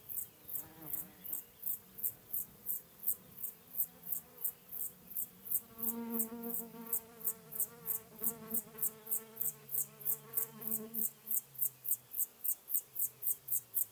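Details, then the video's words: Chorthippus apricarius, the Locomotive Grasshopper, recorded at Moosham, Austria, on 9 October 2020: a long series of short, high, hissing pulses repeated about four times a second, with a low humming background beneath the middle section. "Chorthippus apricarius -- Feld-Grashüpfer -- Locomotive Grasshopper"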